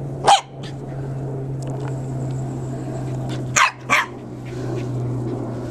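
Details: A pet corgi running gives short, sharp barks: one near the start and a quick pair around the middle, over a steady low hum and background noise.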